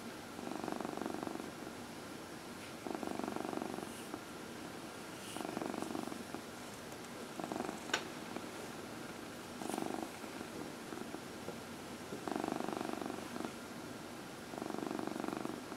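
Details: Elderly female house cat, 14 years old, purring through an evening lap massage indoors; steady pulsing purr in regular bouts every two to three seconds with short quiet gaps and a faint click.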